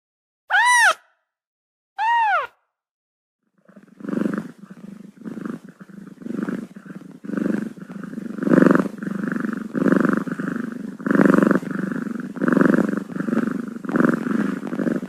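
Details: Six-day-old kittens, domestic cats: two high arched mews, then a low, rough, pulsing rumble that swells and fades in rhythmic bursts to the end.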